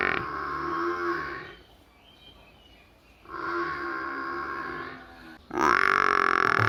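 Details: A buffalo calf in a village gives three loud, nasal bawling calls, each lasting one to two seconds.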